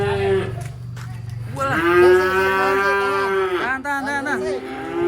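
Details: Giant cattle, newly loaded for a move to a pen in the interior, rampaging as it comes off a truck. A loud, drawn-out moo lasts about two seconds, rich in stacked harmonics, after a lower rumbling start. People's voices are heard briefly.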